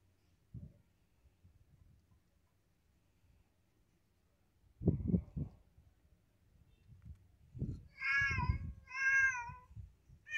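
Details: Domestic cat meowing: after soft thumps and rustling, two short, clear, harmonic meows come close together near the end, each slightly wavering, over a low muffled background of movement.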